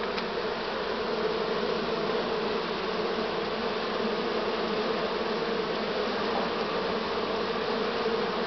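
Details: Honey bee swarm in Romania on 6 September 2019, this year's swarm at an apiary: a dense, steady hum of many bees with a constant droning tone, unbroken throughout.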